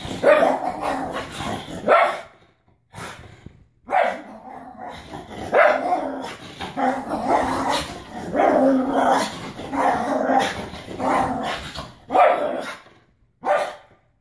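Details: Male pug going crazy after a bath: long run of rough, mid-pitched barks and growly yaps, some bunched in rapid bursts, with brief silent gaps between volleys.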